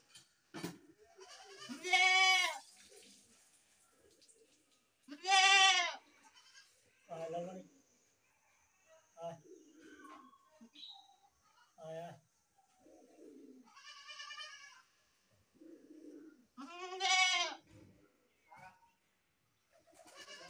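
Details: Goat, described as baby goats, calling in loud drawn-out bleats of about a second each, four strong ones spread across the clip with shorter fainter calls and low murmuring between them.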